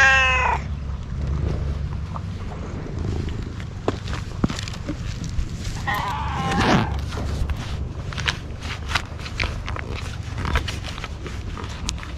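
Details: Stray cat on a Japanese cat island being fed gives one short harmonic meow at the start, then quieter mewing amid clicking, rustling and a steady low hum.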